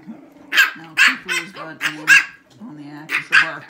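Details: Shih Tzu puppies, six weeks old, bark against each other in a barking contest: shrill short yaps roughly every half second, with softer whining growls running underneath between them.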